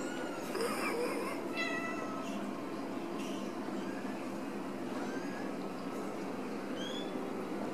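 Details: Ragdoll kittens raised in a home cattery in central Kansas, no cages: a burst of high, strongly harmonic mews near the start, then softer, shorter mews spaced a second or two apart against constant room hiss.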